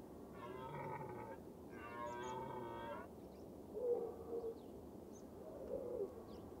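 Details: Red deer in the rutting season: a hind and a large calf are chased by a stag while another stag thrashes his antlers in a Scots pine. Two harsh, drawn-out calls of about a second each are followed by softer, lower tones.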